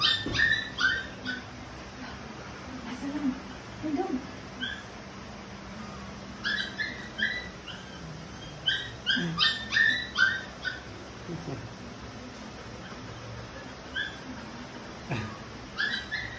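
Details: Labrador Retriever being stubborn, letting out bursts of high-pitched whines and yips in clusters separated by short pauses, a low murmur of voices and household hum in the background.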